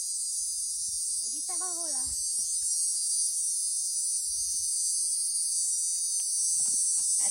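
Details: A cicada calls from right behind the speaker, a steady, high, shrill buzz that holds without a break, made to attract a female; people once said it was calling the rain.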